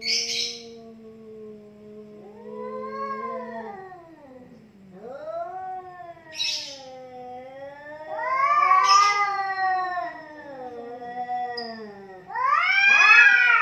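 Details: Fighting domestic cats growl low and steady, then swell into loud arching yowls that rise and fall in waves, with explosive hisses at the start, midway and near the end as the threat calls grow louder.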